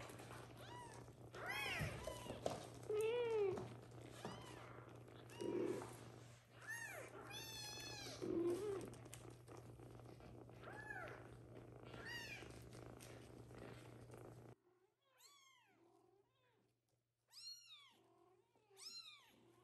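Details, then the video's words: Little kittens, some adopted by the mother cat, meowing loudly after waking so she will come and feed them; many overlapping high arched meows, a few low lower calls, a steady low hum throughout and a quieter stretch near the end. "Little kittens meow loudly for the mom cat to come and feed them"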